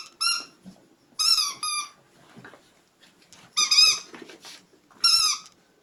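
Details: Puppies squeaking in short, high, harmonic whimpers, four clear bursts spaced about one to two seconds apart, with faint rustling in between.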